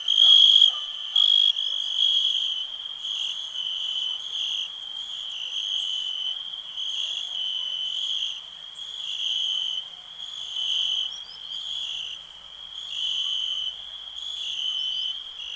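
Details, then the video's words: Cricket producing a continuous high trill that rises and falls in loudness irregularly over about fifteen seconds, with a few brief louder bursts near the start. "Nature sounds, cricket relax"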